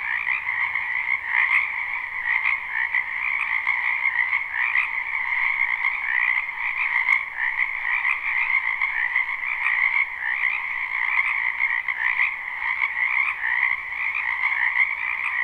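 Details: Many frogs croaking together in a spring wetland behind a house at night, recorded live without looping; a dense, continuous overlapping chorus of rapid trilled croaks with no pauses, steady in loudness throughout.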